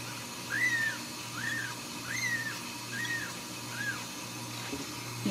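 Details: Ragdoll kittens raised in a home cattery in central Kansas, acting hungry; five thin arched mews, each rising then falling, spaced about a second apart, over a steady low hum.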